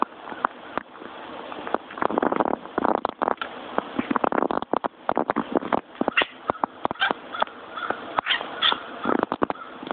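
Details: House cat "barking" at birds outside: rapid bursts of dry clicking chatter in uneven runs, sharp ticks clustered tightly, with a few brief harsher, more voiced calls late on and soft indoor background noise.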